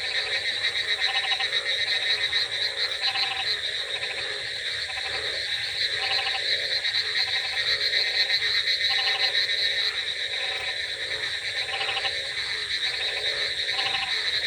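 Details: Many frogs croak together on a rainy night in a dense, pulsing chorus over a steady hiss of rain.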